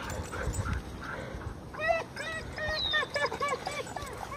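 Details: Male German Shorthaired Pointer named Benelli, unsure about stepping into a pond toward a floating stick, gives a run of short, rising-and-falling whimpering whines over about two seconds, with a high gliding squeak and outdoor background rumble.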